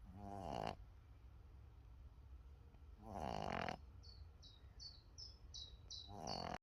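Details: A Boston Terrier puppy snores in rough, rattling breaths roughly every three seconds.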